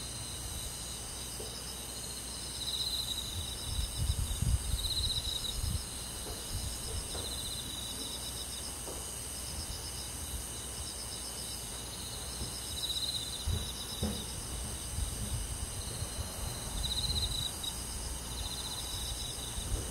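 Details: Summer-night chorus of crickets and forest insects in the countryside, with repeated high pulsed trills every second or two above a constant shrill ringing, and soft low rumbling noise underneath.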